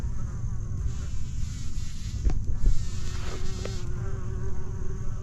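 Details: Bumblebees give a low, steady droning buzz while flying close by, on a sandhill trail in Jennings State Forest in fall, about four weeks after a prescribed burn, among flowers and new growth.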